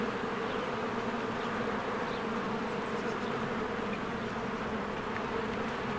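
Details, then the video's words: Many honeybees flying in and out of a hive in spring. A continuous humming buzz with a steady low tone, plus a few faint, scattered high bird notes behind the drone. "1 Hour of a Beehive ASMR"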